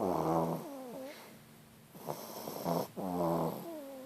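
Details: French Bulldog snoring: a loud rattling snore opens, then wavering wheezy whistles follow. Two more buzzing, vibrating snores come after a quiet pause, with a faint nasal whine trailing at the end.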